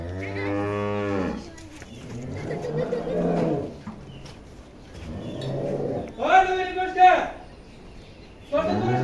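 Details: Dairy cows being sold from a farm in Bangladesh: a low harmonic moo at the start, a long wavering moo in the middle and a higher strained moo later, with people talking and handling sounds throughout.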